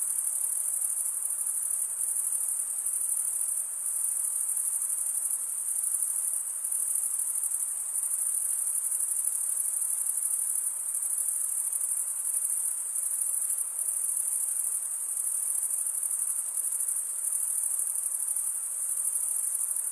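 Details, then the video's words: Chirping of crickets produced by stridulation of the wings. A constant high-pitched ringing buzz continues through the whole stretch, with slight dips and swells in intensity but no pauses and no other animals. "Most relaxing cricket sound for 8 hours"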